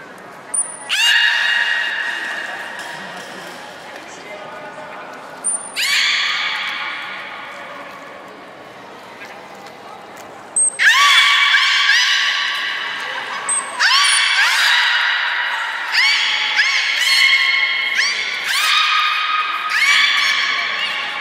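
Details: Beluga at Port of Nagoya Public Aquarium, Japan, during gate training before the 11:00 public session on 3 May 2019: brief sharp high whistle notes, each followed by long, nasal, harmonic squealing calls in repeated bursts, with an indoor hall echo.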